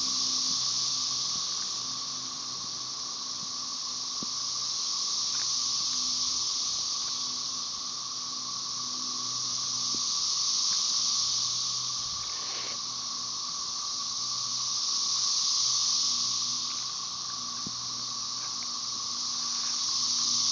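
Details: Chorus of periodical cicadas, Magicicada tredecassini with M. tredecim behind, Brood XIX, Tyler Bend Park near Marshall, Arkansas, May 30, 2011: a dense, steady high hiss that swells and fades roughly every five seconds, with a faint lower whine underneath.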